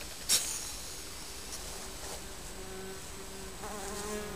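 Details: Honey bees from a colony living under a garden shed, flying about outside; a faint, steady low hum with soft overtones drifts in and out as bees pass, with a quiet background.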